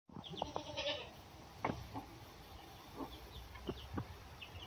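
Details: Goat kid with a wild red fox named Marquise: a short, wavering bleat with several tones near the start, then a few brief, fainter calls. Faint high chirps and low rustling fill the background.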